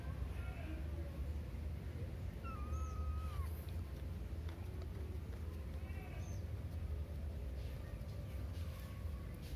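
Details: Domestic cat giving soft, short meows: one drawn-out mew slides downward near the middle, with a few fainter mews before and after, over a constant low rumbling hum and light background noise.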